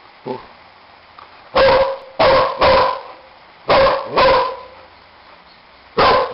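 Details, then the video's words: A dog barks at a baby bird, six loud, broad barks, some in quick pairs, with a faint yip at the start and quiet pauses between. "Dog barking"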